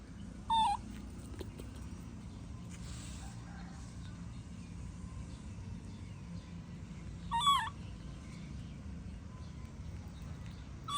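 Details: Baby monkey throwing a tantrum as its mother leaves: two loud, tonal wailing calls with strong harmonics, bending downward, about seven seconds apart, over a steady low background rumble.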